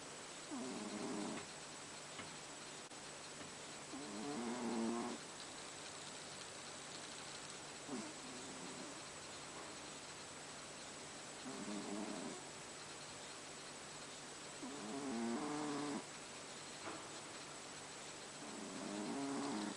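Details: Haru, a pet cat, snoring while asleep indoors: low, raspy, rattling breaths that swell and fade, recurring roughly every three to four seconds across six rounds over a steady background hiss.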